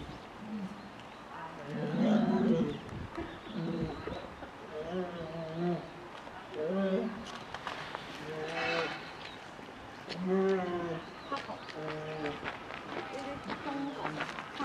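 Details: Eleven-month-old female polar bear cub with her mother at Maruyama Zoo, Hokkaido, Japan, December 15, 2011, demanding to suckle; insistent, growly, vibrating calls in bursts, growing louder, with spectators speaking nearby.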